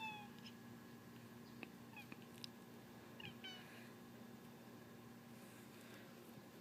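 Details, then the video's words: Domestic cat giving a funny noise: a few short, high, chirp-like calls with rising and falling harmonic sweeps, spaced over the first few seconds, then quieter, over a steady low electrical hum indoors. "Funny cat noise"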